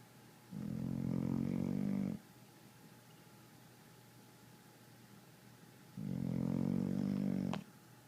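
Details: Red nose American Pit Bull Terrier fast asleep, snoring indoors: two drawn-out, droning snores about one and a half seconds each, spaced roughly five seconds apart, with quiet breathing between and a faint steady electrical hum.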